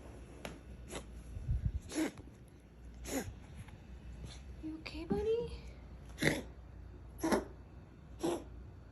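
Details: Ragdoll cat (Felis catus), cough.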